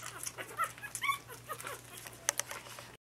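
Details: Lhasa Apso puppies indoors in their pen on 27 January 2012, just starting their fourth week, giving soft high whimpers and brief squeaky yips, a few short rising notes scattered over three seconds, with a faint steady hum behind.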